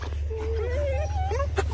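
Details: Border Collie from a kennel giving a thin, high whine that wavers and slowly rises for about a second, then a shorter upward-sliding whine, over a constant deep rumble with a person speaking nearby.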